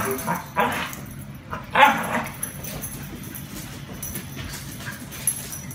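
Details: Luke the Border Collie and Luhan the Yorkshire terrier roughhousing together. Short, rough growling bursts come at irregular moments, with a sharper yelp near two seconds, over steady low household background noise.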